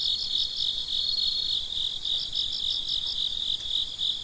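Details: Crickets chirping at midnight: a steady, high continuous trill runs throughout, overlaid by a second cricket's rapid pulsed chirps in short bursts, with no other animals or people heard.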